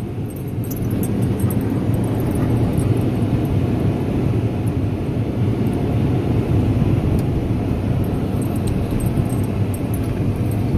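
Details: Steady low rumble of machinery and water from a car wash, with no animal voice heard.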